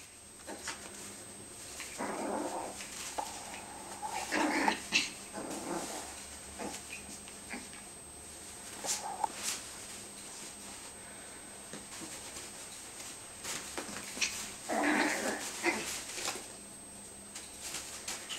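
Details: Yorkie and Tibetan Terrier puppies at play, biting in a bean bag indoors. Short bursts of squeaky, harmonic growls and yips come in clusters near two, five and fifteen seconds, with rustling and quieter stretches between.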